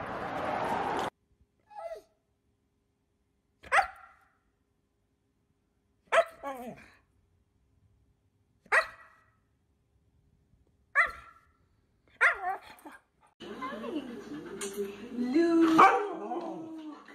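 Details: Siberian Husky in a 2021 funny-moments dog compilation, barking singly at spaced intervals of roughly two to three seconds, sharp and short, ending in a louder, noisier stretch of overlapping whining and voices.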